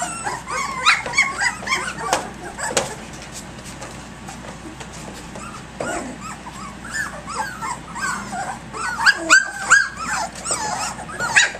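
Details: Active puppies, three weeks old, play at six o'clock in the morning: a burst of squeaky yips and whines opens, a quieter stretch of scattered thumps follows, then high-pitched yelps and squeals pick up again toward the end.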